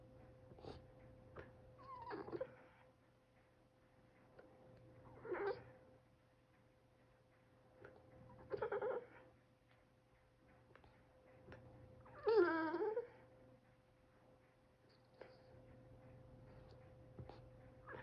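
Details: A Boston Terrier cries in drawn-out, wavering whines, each about a second long, every few seconds, apparently because its owner is drinking coffee.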